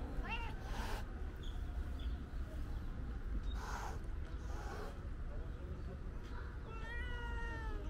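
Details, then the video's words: Calico cat meowing loudly, seemingly wanting to tell something: a brief rising-falling meow at the start, then a long drawn-out harmonic meow at the end, with soft low background rumble in between. "Calico Cat Meowing Loudly Wants To Tell Me Something"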